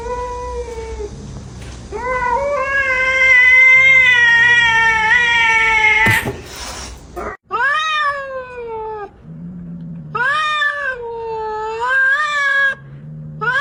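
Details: Domestic cat making funny meows: a long drawn-out meow that rises into a loud, strained wail, then a series of shorter rising-and-falling meows with gaps between them, indoors.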